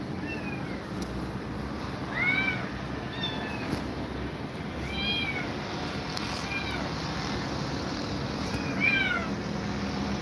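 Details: A grumpy cat, reportedly frightened by two mother cats, utters clear high meows that rise and fall in arcs, in spaced bursts of two or three, over constant background hiss and low rumble.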